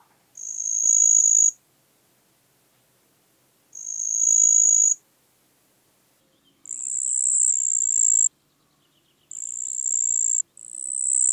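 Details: Pteronemobius heydenii, the marsh cricket, recorded in Puntigam, Austria, on 4 June 2022. Five high, buzzy trills; the later ones sound slightly higher and follow more closely. Very faint low background sounds are present.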